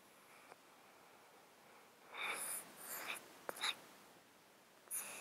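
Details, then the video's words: Domestic cat asleep in a box, close-miked, with a snotty sound from a disease of thirteen years: soft hissy, snuffling breaths in short bursts about half a second apart, a brief sharp click between them, otherwise a quiet room. "HD Cat Breathing White Noise | Close Up Mic, snot, breathing"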